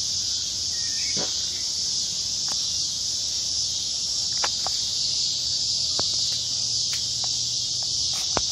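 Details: Cicadas in south Charlotte, North Carolina, after a storm keep up a loud, steady, high-pitched droning chorus without a break, with faint scattered clicks and a low background hum.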